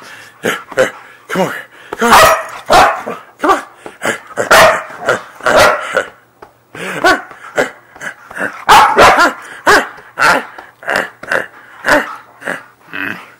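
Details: Excited Siberian Husky during bedtime zoomies, letting out a string of short barks, yips and harmonic yowls, some in quick clusters, over a person's chatter.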